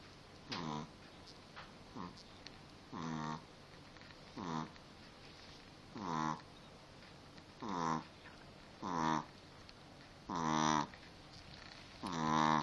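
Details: Cookie, a pet dog, snoring indoors: regular nasal, whistly breaths about every one and a half to two seconds, each a short rasping burst with a tonal, harmonic edge, against a quiet room background.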